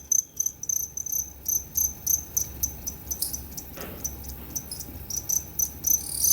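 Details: Two-spotted crickets at Tama Zoo, recorded 29 September 2015, giving one of two different call types: quieter, high chirps in irregular short bursts, with a faint steady tone and a brief rustle midway.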